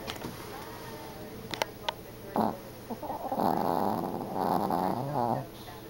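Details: Sleeping Yorkshire Terrier snoring indoors: soft rasping breaths that swell into longer, wavering snores in the second half, with a few light clicks.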